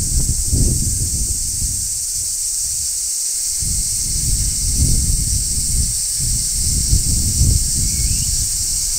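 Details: Large brown cicada singing on a tree in midsummer: a steady, shrill, sizzling hiss holds without a break behind heavy low rumbling bursts of wind or handling noise.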